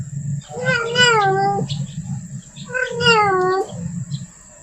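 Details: Female domestic cat in heat calling to draw a male near: two long, drawn-out wavering meows, each about a second, rich in harmonics, with a steady low hum and a faint high whine underneath.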